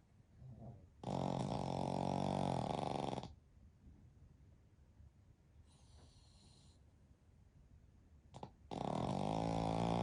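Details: Pekingese x Shih Tzu mix dogs, a family of three, napping together in deep sleep; two loud, rasping snores of about two seconds each, low and richly harmonic, separated by quiet breathing and faint snuffles.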